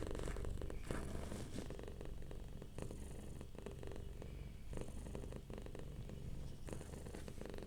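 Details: Relaxed domestic cat purring softly: a steady low rumbling purr throughout, with rustling and handling noises over it.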